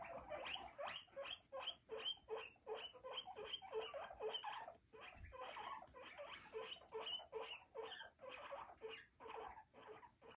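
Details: A few guinea pigs in a roomy floor enclosure with huts, hay and fleece bedding, exploring their space; a steady run of short, sharp squeaks at roughly two to three per second, rising and falling in loudness.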